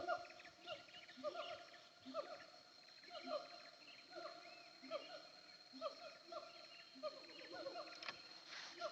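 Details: Siamangs call from a hilltop between Nagari Paru and Nagari Durian Gadang, heard from the road, as repeated swooping whoops roughly every half second over a steady droning hum.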